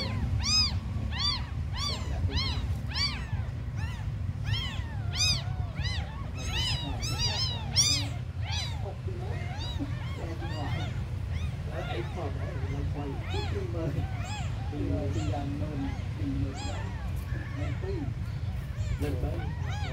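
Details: Tiny abandoned kittens calling: loud, clear arched meows come rapidly for the first half, then fainter, overlapping mews continue against a constant low-pitched hum.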